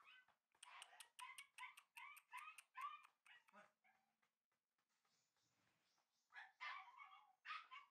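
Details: Red and white male Shiba Inu puppies bred for show, firing off about eight rapid shrill yips in three seconds, a short pause with low rustling, then a few more high-pitched barks.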